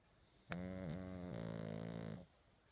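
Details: A sleeping pug, sleeping more often lately with age, gives one loud droning snore of nearly two seconds, a steady buzzing tone that dips briefly partway through before holding level and fading out.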